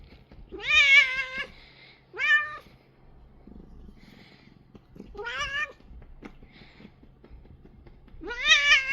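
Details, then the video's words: Korean shorthair house cat making odd sounds while being kneaded and massaged, four loud, bright meows with rich harmonics, each rising then bending down, separated by pauses of one to three seconds. "이상한 소리 내는 고양이 주물주물"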